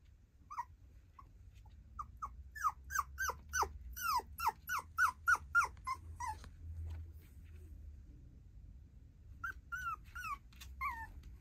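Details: High whines from a female tiny poodle puppy come in a rapid cluster of about a dozen falling yelps. A quiet gap follows, then a few more whimpers near the end, over a low indoor hum.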